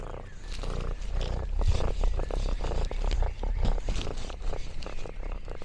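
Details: Lexi, an orange tabby cat roaming a rural farm, gives a low throbbing purr, steady throughout, mixed with light crackling and rustling leaf sounds.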